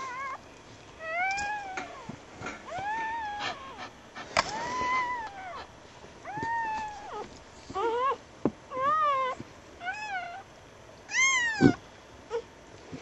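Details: Freshly born puppies on a winter night after a snowstorm: a steady run of arched squeals and whimpers, growing quicker and shriller toward the end, with light background hiss.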